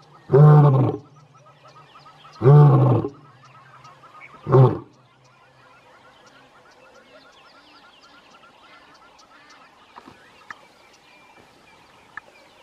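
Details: Male lion, one of three, in the wild near Leeupan in Kruger National Park during the morning: three deep roars that grow shorter and softer, trailing into faint grunts, then near silence with a few small clicks.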